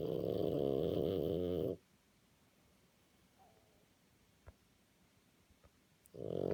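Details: Tired out from a lively walk, French Bulldog Napo snores in his sleep: a rasping, rumbling snore, then about four seconds of quiet breathing with faint clicks, before the next snore begins.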